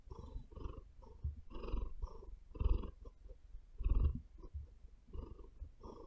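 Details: Close, low purring from a female domestic cat lying on a bed, deep rumbling bursts swelling and fading with slower, uneven breaths roughly every half to one second, plus faint scratches of claws digging into the bed.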